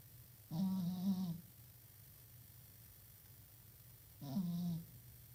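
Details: Pet cat asleep and snoring, two drawn-out low buzzing snores about three and a half seconds apart, the first nearly a second long, soft room hum underneath.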